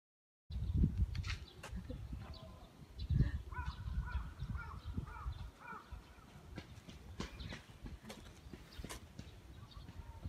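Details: Shih Tzu growling during stick tug-of-war play in a park: deep, gravelly rumbles in uneven bursts, strongest in the first three seconds, then softer grumbling with faint voices and rustling in the background.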